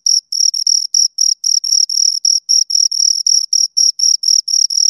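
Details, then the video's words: Pair of crickets giving rapid, bright chirps, each pulse a narrow high-pitched trill repeated roughly four times a second in an even rhythm, backed by a faint higher harmonic and total silence otherwise. "Two Crickets Chirp Sounds"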